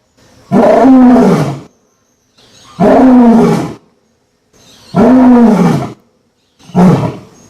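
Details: A lion roaring: four loud, drawn-out roars with an arched, moaning contour, each lasting about a second and repeated roughly every two seconds, separated by clear silences.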